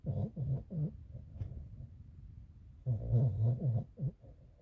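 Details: A sleeping puppy snoring: low, rumbling breaths in quick rhythmic bursts, a quieter stretch in the middle, then a run of louder snores resuming near the end.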